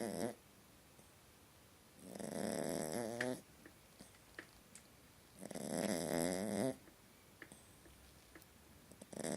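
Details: Small dog snoring while asleep and having a nightmare, indoors; two long rasping snores about three and a half seconds apart, each with a whiny, wavering tone, separated by quiet room tone.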